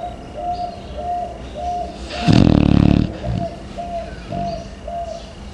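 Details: Chow Chow dog, found sleeping deeply in the morning, snoring like a human: a single loud, rattling, low-pitched snore burst in the middle, with a repeated short tonal chirping sound in the background throughout.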